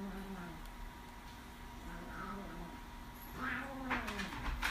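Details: Young orange kitten growling at her brother kitten, who bothers her while she eats; a low, steady rumbling growl runs throughout, growing slightly louder near the end amid light rustling.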